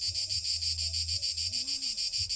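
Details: A male cicada, in a French fruit-growing area with apricots and chestnuts, gives a loud, harsh, rapidly pulsing buzzing song without pause to attract females, its abdomen inflating and deflating.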